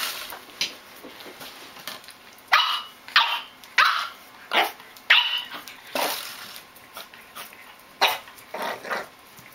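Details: Rocco, a young French Bulldog puppy given its first bottle, lets out irregular bursts of short, sharp yappy barks spaced about half a second to a second apart, with quiet gaps between.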